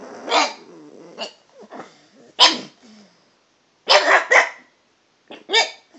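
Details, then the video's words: Toby the pet dog, chatty and trying different pitches while talking to the cat, gives short sharp barks of varied pitch, spaced irregularly with softer whines and grumbles between them in a quiet room. "Toby talking to the cat"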